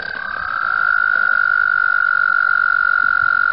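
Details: Frogs calling in spring at Mt Gretna during the mating season, their calls rippling the water. A steady, unbroken high trill begins softly, swells within the first second, then holds at an even pitch.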